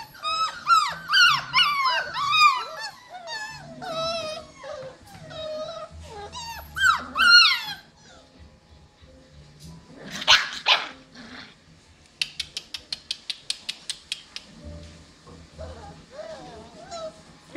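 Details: Cockapoo puppies, seven weeks old, whose dam is a show cocker spaniel and sire a miniature poodle, whimpering in rapid high arched yelps, then a pause, a burst of noise and a fast run of sharp clicks before softer whines return.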